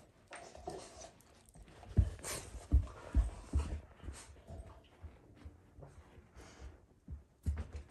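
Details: Rottweiler scene indoors as Junior tries to take Fluffy's bone: low, rough rumbling pulses recur unevenly about twice a second, mixed with panting breaths and bursts of scuffling noise.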